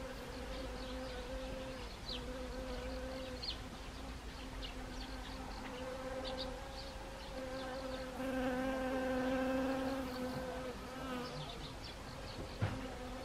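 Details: Autumn honeybees on Siberian chrysanthemum flowers, Gangwon Province, Korea, 1 October 2020. A steady hum shifts slightly in pitch, then swells into a loud near pass, then eases off. There is a sharp knock near the end and high twittering in the background.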